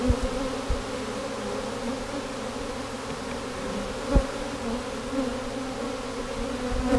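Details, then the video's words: Even, unbroken buzzing of a honey bee swarm during its capture in 2017, the hum layered in low bands, with a few sharp handling knocks, one louder near the fourth second. "catching Honey Bee Swarm number 3 2017"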